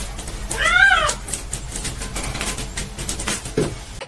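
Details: A cat gives a single short arching meow, rising then falling, lasting about half a second, with music playing and a person's voice nearby.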